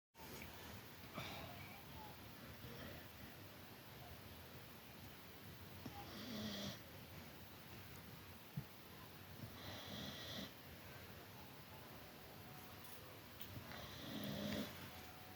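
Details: Labrador Retriever named Micky asleep on its owner's lap, snoring softly indoors; breathy low snores with a faint tonal buzz swell roughly every four seconds over a quiet hiss.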